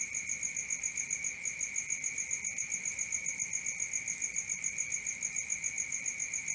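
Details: Nocturnal cricket chorus: a constant shrill trill near the top of hearing, beating rhythmically about three to four times a second, with a second high pulsing line above it and quiet background.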